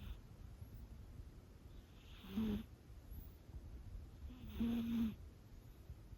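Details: Sleeping Scottish Fold kitten Chama, five months old, with a heart condition: two distinct snores, each a low buzzy drone with airy rasp, about two seconds apart, separated by quieter breathing in a calm indoor setting.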